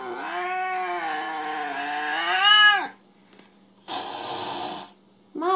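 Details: Jealous pet cat Mo gives a sustained, strained yowl lasting nearly three seconds that climbs at the end and then cuts off, followed by a brief rustling burst and the start of another cry.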